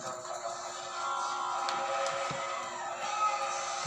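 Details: Steady background music with sustained tones and faint voices, no animal calls heard.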